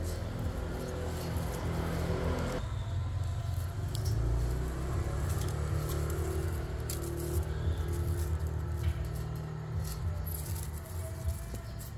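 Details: Steady low rumbling noise, like a running vehicle, with faint music and scattered clicks; no animal calls.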